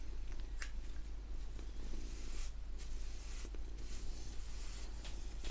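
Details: Domestic cat purring indoors: a steady low rumbling throb runs throughout, overlaid by soft, intermittent brushing strokes of bristles on paper.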